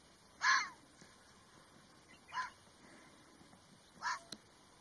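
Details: Three brief, raspy calls from a red fox, roughly two seconds apart, the first loudest and the next two softer, over low background hiss.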